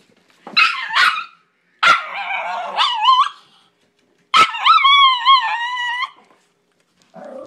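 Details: Dog producing loud, drawn-out whining barks in three main bursts, each breaking into wavering, yodel-like howls that rise and fall, followed by a short low grumble at the end.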